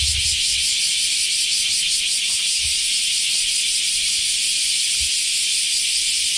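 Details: Common cicadas, called semi in Japanese, singing in summer in Japan after the rainy season has finished; a dense, steady, high hissing buzz drones without pause, with faint low thumps underneath.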